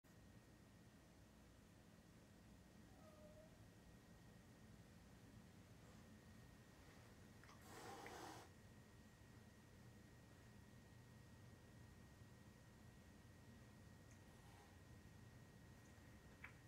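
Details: A female guest cat, only a few days after arriving, hisses at the resident host cat indoors: one short, harsh, breathy burst of noise about eight seconds in, otherwise a quiet room with a steady low hum.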